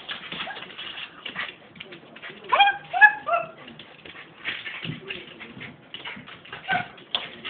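A Pembroke Welsh Corgi makes a brief burst of high, wavering whine-like calls, each note sliding up or down in pitch. Human voices talk throughout, and the dog's sounds stand out only for a moment in the middle.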